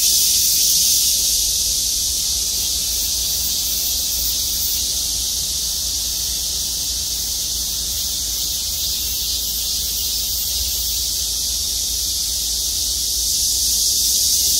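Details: Chorus of cicadas settled in trees of the Gwangmyeong City Hall parking lot, a shrill continuous drone that dips slightly through the middle and swells again at the start and end.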